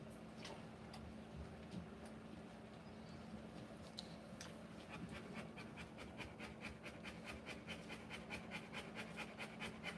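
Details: Rottweiler giving birth to puppies, panting in rapid, even breaths of about two per second, soft and breathy, over a steady low electrical hum; a few louder breaths early on before the rhythm settles.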